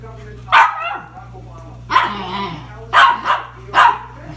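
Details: Pair of Cairn Terriers asking for cookies at home, giving four high, clipped barks, the last three close together about a second apart, over a constant low electrical hum.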